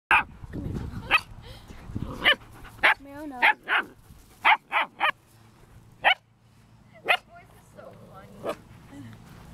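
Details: German Shepherd puppy barking: about ten short, sharp, high yaps in nine seconds, spaced irregularly, with a person talking softly in the background.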